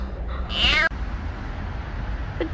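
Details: A stray kitten called Petit lets out one brief, high-pitched mew that wavers slightly, then quiet with a steady low rumble and a faint click near the end, while someone coaxes it to come quickly.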